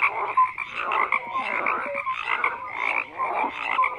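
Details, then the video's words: Many frogs croak together, grating pulsed calls overlapping in a steady wall of sound, with occasional short pure notes rising above the chorus. "FROGS CROAKING"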